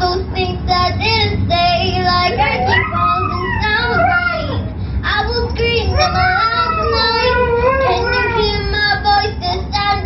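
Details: Siberian Husky named AsiaNightAngel singing along to the song Fight Song indoors: long wavering howls glide up and down in pitch, rising and falling over steady pop music with a female vocal beneath.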